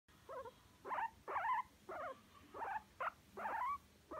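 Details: Guinea pig enjoying a massage, giving a run of short squeaky chirps, some rising and some wavering, about seven bursts in four seconds with brief pauses between them; quiet background.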